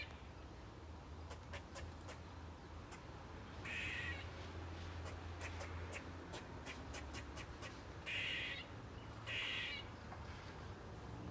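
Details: Squirrel making a weird screeching noise: three short, harsh, raspy bursts spread across the recording, over a steady low rumble and scattered sharp clicks.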